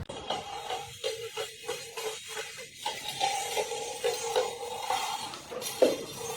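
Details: Background music with clattering dishes and utensils, and no animal voices.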